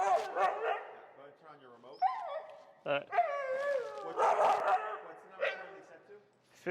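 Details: A feral husky named Finnegan complains during heel training in Chicago, disagreeing with the pressure applied: wavering whines and sliding, yodelling moans run almost continuously, with a human voice mixed in.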